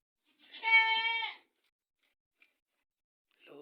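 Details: Goat recorded just after a surprise birth in the herd. A single loud, steady, harmonic bleat lasts about a second, followed by quiet, then the start of another sound.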